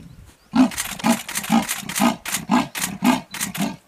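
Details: A leopard roars from up in a tree in its sawing style: deep, coarse, rasping grunts repeated about twice a second, each like a saw drawn through wood, running steadily.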